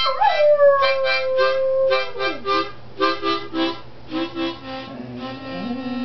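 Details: September, a dog singing along to the song "The Love of Bones": a long wavering howl slides down and holds steady for about two seconds, then harmonica-like music plays in pulsing chords for the rest.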